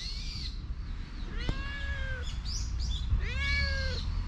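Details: Outdoor stray cat seeking affection, GoPro recording: two rising-then-level meows about two seconds apart, with scattered faint high chirps and steady low background noise.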